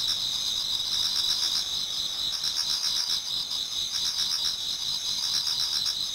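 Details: Autumn insect chorus in a Japanese garden before dawn: a bright continuous high trill, with a faster pulsing chirp layered in, a few lower chirping bursts rising and fading.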